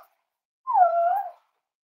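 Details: Cavalier King Charles Spaniel puppy, raised indoors at a home as an emotional support animal, gives a single clear whimper lasting under a second, a smooth tonal whine that dips and then levels off.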